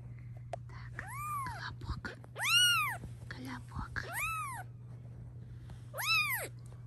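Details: Mother cat near her filmed kittens giving four high arched meows, one notably long and loud, mixed with a woman speaking Russian softly and faint rustling handling noises.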